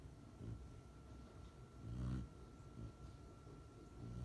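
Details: An almost six-month-old female Rottweiler puppy, deeply asleep at home after returning from professional training, snores with low, rumbling breaths that swell and fade in a slow rhythm.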